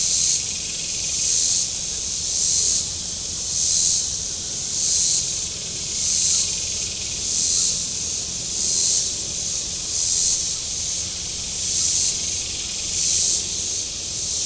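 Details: On a hot Saturday at Table Rock Lake, southern Missouri, shoreline cicadas produce a steady high-pitched rasping drone, rising and falling in even surges about every 1.3 seconds throughout.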